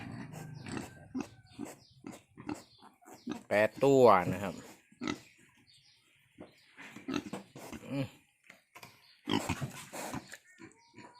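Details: Wild boar after giving birth, newborn piglets suckling with an umbilical cord still attached: scattered short low grunts and one loud harmonic squeal rising then falling midway, with a man talking in Thai throughout.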